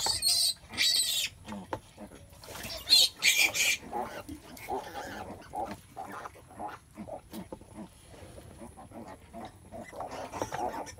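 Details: A sow giving birth: loud piercing squeals open the recording and return at about three seconds, followed by softer grunting and snorting until a final rise in squealing.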